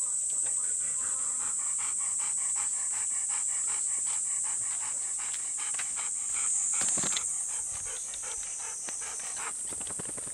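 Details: One of two Golden Retrievers, Bis and Kohaku, panting on a humid summer morning walk from a field. Quick breathy pants come about three to four per second over a steady high-pitched whine, with a louder rustling burst near the middle.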